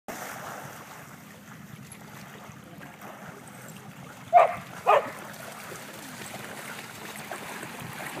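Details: A Poodle chasing another dog named Okami, then wanting a pool noodle; two short, sharp barks about half a second apart mid-clip, over a steady rushing, water-like background noise.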